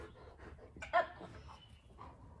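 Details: A male dog works through trick training for an AKC Trick Dog Novice submission, cued with up and down and then praised: one brief, clipped bark near the middle, with soft breathing and room noise around it.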